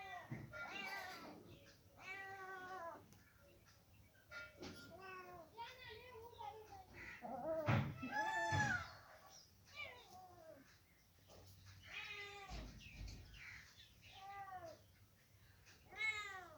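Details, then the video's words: Two kittens trade short, bent meows, several arching high then dropping, spaced irregularly with quiet gaps and a couple of soft knocks. "Very Funny Cats and Kittens Meowing Sound Effects Part 5 | Cat Sound"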